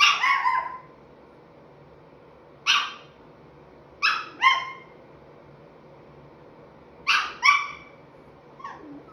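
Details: Chihuahua puppy aged five and three-quarter months "talking" in sharp, yappy barks, some single and some in quick doubled pairs, spaced a few seconds apart, ending with a softer yip; otherwise quiet.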